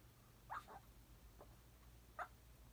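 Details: A sleeping Papillon puppy makes short, soft high squeaks in its sleep, two quick yips then one more after a pause, over a quiet low hum.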